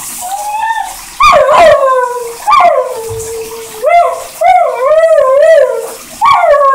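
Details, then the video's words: Airedale Terrier howling in the shower, a series of loud, wavering, sung howls that slide up then sag down, some bending and quavering, separated by short pauses, with faint background noise. "Airedale terrier Singing in the shower"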